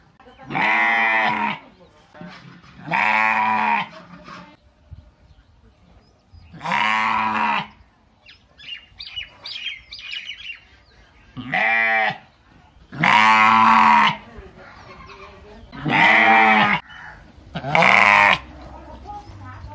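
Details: Three village sheep bleating: seven loud, harmonic, wavering bleats about a second long, spaced every two to three seconds, with quiet rustling between.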